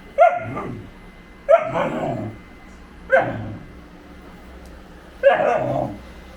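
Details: Great Pyrenees named GOHAN, a pet dog kept by a family in Thailand, gives four loud, full barks spaced about one and a half seconds apart, each a short burst with a brief tail, over quiet indoor background.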